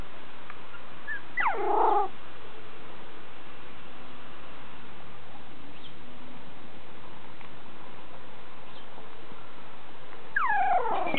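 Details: Five-week-old miniature schnauzer puppies from a kennel litter give short, high, wavering whimpers in two bursts, one early and one at the end, separated by a long stretch of quiet room hiss.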